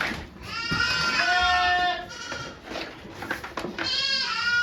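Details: Goats bleating during Okayu's birth of two kids at Yoshigake goat farm, Japan, 3 May 2023, with volunteers watching; overlapping harmonic bleats, some wavering, blend with murmuring human voices and background farm noise.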